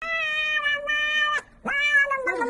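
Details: Kitten-type domestic cat meowing: a long, steady, high meow lasting over a second, a short pause, then a second meow that swoops up sharply and sags downward at the end.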